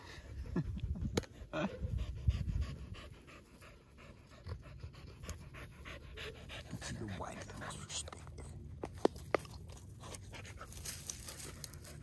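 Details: Dogs gathered at a fence panting rapidly in short breathy bursts, several per second, mixed with low rumbling wind and a person speaking to them in a friendly voice.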